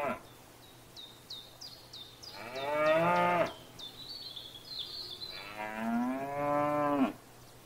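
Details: A grazing cow in a field paddock gives two long, drawn-out moos about three seconds apart. The second moo rises and then drops at its end. A bird gives a quick run of chirps before the first moo and a warble between the two.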